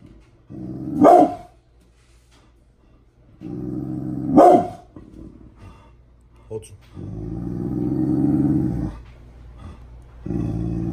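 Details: Bullet the Pit Bull, mad in the morning, snaps out two loud barks between stretches of deep sustained growling, with a brief soft sound in between.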